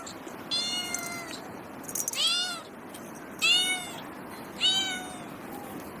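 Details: Kittens stalking and chasing butterflies on grass give clear, harmonic-rich meows, four drawn-out calls arriving about once every second and a quarter, each sliding slightly downward, over a steady faint background hiss.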